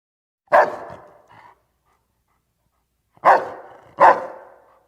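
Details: Domestic dog giving three sharp barks with a short softer yelp after the first, then a pause of nearly two seconds before two more loud barks close together; quiet background.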